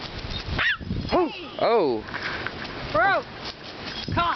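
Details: Great Dane puppy at play time, giving short arched barks and yips, about five bursts in four seconds, irregularly spaced, while people talk and laugh nearby.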